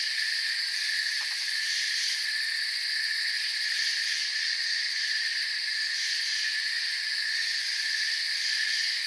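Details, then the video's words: Crickets in a forest keep up a thick, ringing chorus of high-pitched chirps in stacked bands, a brief soft tick near the start, otherwise unchanging and continuous. "Forest Sounds and Crickets"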